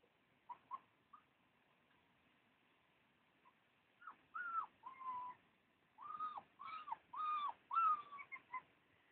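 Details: Husky puppies give a few scattered short squeaks at first. Then come more insistent overlapping whines, clear tonal cries that arch and fall, crowding together toward the end. The background is otherwise quiet.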